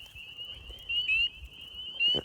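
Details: A spring peeper, a tree frog calling very close by in a Midwest spring wetland, gives short, high, rising peeps over a steady, shrill background chorus.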